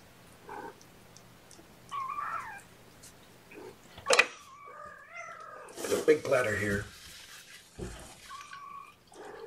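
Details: Guardian kittens during their morning feeding indoors, being hand-fed formula by syringe and held in a lap; several short, bent, tonal mews rise then fall, spaced a few seconds apart amid rustling handling noise and a human voice.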